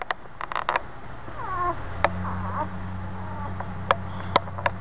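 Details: Newborn Boxer puppies lying with their mother: a couple of thin, wavering, rising whimpers, each under a second, among sharp clicks and taps, over a steady low hum.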